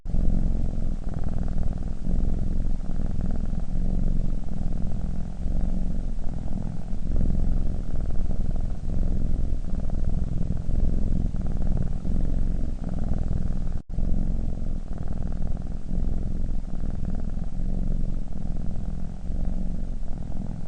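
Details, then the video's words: A sleeping domestic cat snoring: a steady low rumbling drone, continuous and dense throughout, with a brief break near the fourteenth second, no other clear sounds. "snoring cat"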